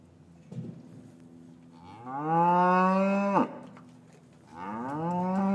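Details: Long rising-then-level moo from cattle in a traditional English farm yard, winter afternoon after calves were taken from their mothers; a second moo begins as the first ends, with soft yard rustling before.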